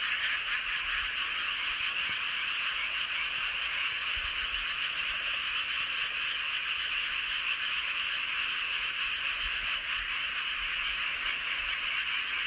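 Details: Nighttime frog chorus under a full moon, Hoengseong County, Gangwon Province, South Korea: constant dense trilling croaks from countless frogs, even in loudness, with faint low thumps in the background.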